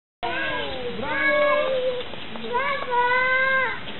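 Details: A California sea lion at Opole Zoo gives two drawn-out, wavering calls, each sliding down and then rising.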